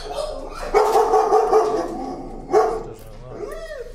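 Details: Timid dog, afraid of the leash and very sensitive to leash pressure, screams in protest during a desensitizing walk: a long wavering harmonic wail, then a short second cry and a rising-falling whine, with a man's voice nearby.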